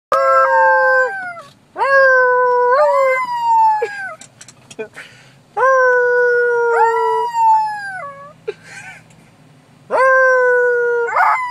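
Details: A pet Yorkshire Terrier howling after being prompted by its owner: long, clear tonal howls held steady, then bending downward, repeated in bursts with short gaps, and a few brief higher yelps between them.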